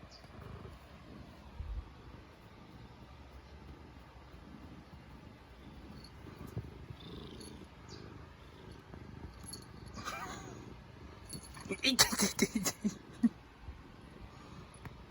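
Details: Black domestic cat purring steadily indoors while content, digging in its claws and nipping; a low continuous rumbling purr fills the recording, with brief rustling and handling noises near the end.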